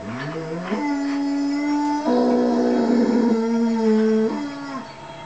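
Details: Indoor mastiff howling in response to wolves howling on a television documentary: a sustained, even-pitched howl that steps upward, with a second tone overlapping briefly before the howl fades.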